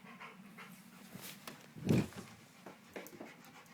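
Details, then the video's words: Domestic dog indoors making what are described as sex noises: soft, breathy rhythmic panting with one louder huffing burst near the middle, over a low steady room hum. "Dog making sex noises"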